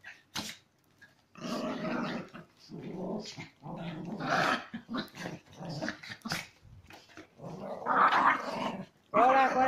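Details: Several Chihuahua cross dogs play aggressively, growling in uneven, gritty bursts about every second or two, with a quiet gap early on and a few sharper yelps near the end.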